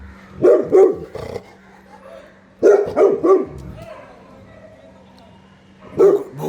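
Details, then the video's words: Saint Bernard barking in quick bursts of two to three deep woofs, separated by pauses; a man's voice speaks in Bengali between the barks. "Saint bernard..barking"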